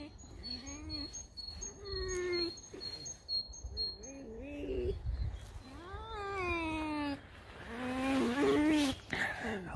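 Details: Alice, a pet red fox kept at home, being woken by dogs: a run of high, wavering whines and yelps, some rising and falling in pitch, growing louder and harsher toward the end, over steady background music.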